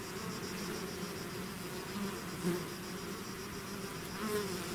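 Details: Continuous buzzing of a bee swarm emerging from its hive, a steady low drone punctuated by two short louder passes of single bees flying close.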